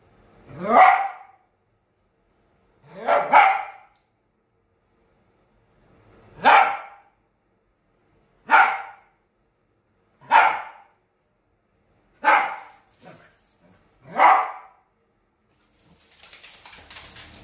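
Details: Bear, a Lhasa Apso dog, barks because he wants to play and grows very vocal when he wants something. Seven sharp barks come about two seconds apart, and a brief rustling noise follows at the end.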